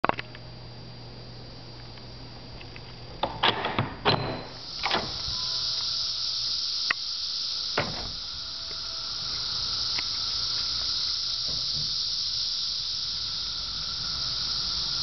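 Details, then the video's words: Cicadas heard every day this summer, their song an annoying steady drone: after a few seconds of door and window clatter, a continuous high, hissing buzz swells in and holds unbroken to the end. "Why I hate Cicadas..."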